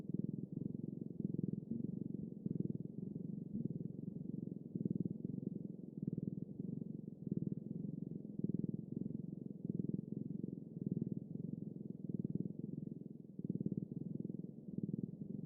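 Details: Long, steady cat purr, a low vibrating rumble beating rapidly and pulsing louder roughly once a second as the animal breathes in and out.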